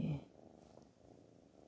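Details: A cat called Black Panther keeps up a quiet, low, pulsing purr after a brief louder voiced sound at the start.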